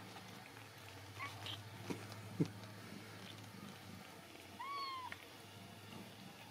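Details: Ragdoll kittens raised indoors at a home cattery in central Kansas; one clear, high, arching kitten mew with rich overtones comes near the end, after soft knocks and quiet background noise in a small room.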